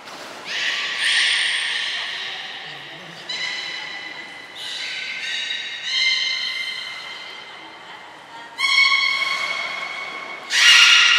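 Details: Captive belugas Gray and Mirai in training at Port of Nagoya Public Aquarium, 15 June 2022: a series of rich, nasal harmonic squeals and whines in repeated bursts, ending with a sudden loud cry.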